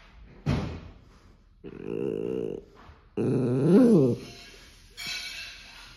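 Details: Maltipoo growling when his owner touches his toy: two low rumbling growls of about a second each, the second wavering and whiny in pitch, with a short sharp sound before them.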